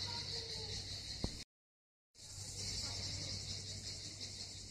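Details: Cicadas at Miskhor harbour in Yalta, Southern Coast of Crimea, keep up a shrill continuous buzz, cut by a short silent gap before resuming, with a low hum and a brief knock early on.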